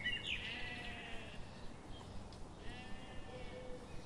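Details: Sheep grazing in a forest under the morning sun. A brief bird chirp opens, then a drawn-out, wavering, harmonic-rich bleat rises from the middle onward, held about a second and a half over steady outdoor noise.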